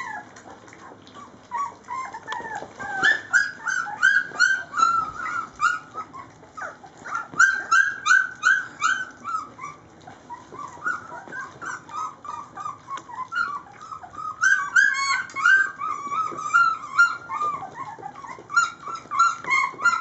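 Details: Litter of 3-week-old Rhodesian Ridgeback pups, Layla's puppies, around mealtime, crying in overlapping high whines and yelps that rise and fall in bursts, several voices at once, with brief quieter lulls between surges.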